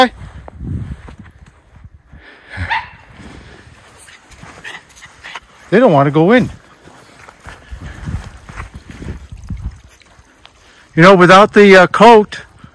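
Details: Two white Miniature Schnauzer brothers playing off leash in the snow on January 6, 2023, in Aroostook County, Maine, their third snow outing of the winter: loud, high, harmonic barks, a pair near the middle and three quick ones at the end, between quieter scuffling.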